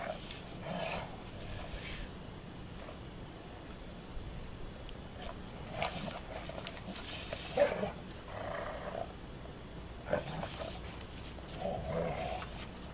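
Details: Play between two female Golden Retrievers turns into a sudden fight: low rumbling growls come in scattered bursts, separated by quieter gaps, with occasional sharp clicks and scuffles.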